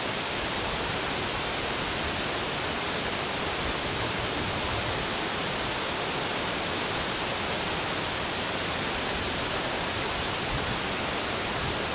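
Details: Steady broadband hiss like rushing water or static fills the whole stretch with no animal voice.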